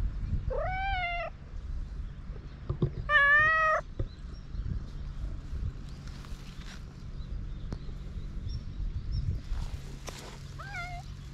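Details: Hungry outdoor cats on a cat island in Japan, waiting for food: two clear drawn-out meows early on, then quieter rustling and a last soft meow near the end, over a steady low hum.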